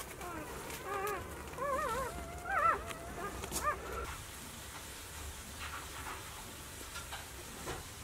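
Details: Four-day-old Golden Retriever puppies, from a litter of five males and one female born 26 April 2018, give thin, wavering, high whines in short bursts, then fall quiet.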